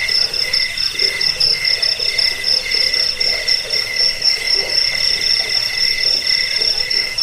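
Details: Cricket chorus meant to drive rats away, help sleep and serve as a model for training birds; fast shimmering pulses overlap continuously at a high pitch, with soft lower grainy sounds.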